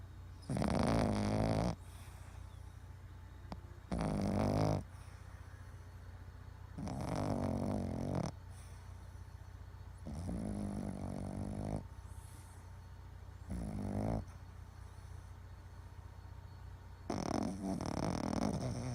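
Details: Boston Terrier snoring while asleep and twitching: loud raspy snores in bursts about every three seconds, each rough and low with a throaty rattle, quieter breathing between.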